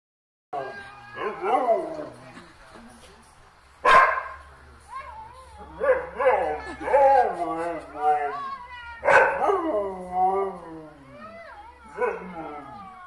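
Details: A dog makes long, wavering, warbling moans and whines that glide up and down in pitch. Sharper, louder yelps break in near the fourth and ninth seconds, with short pauses between the phrases.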